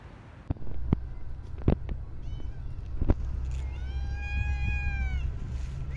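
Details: Street cat being fed outdoors: one drawn-out, clear meow arching slightly and lasting over a second, preceded by sharp clicks and knocks, with steady low city rumble underneath.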